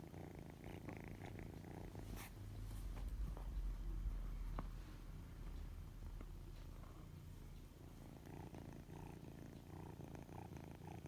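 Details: Sustained deep purring from a white kitten with odd-coloured eyes, steady and rhythmic, swelling slightly in the middle, with occasional light taps and rustling.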